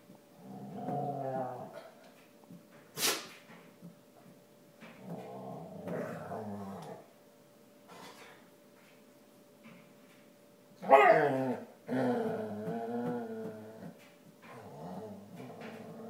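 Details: A female basset hound groaning while standing on her ears, indoors in a small room; low drawn-out moaning groans in several bouts with pauses, one sharp click near the start and a louder strained groan near the end.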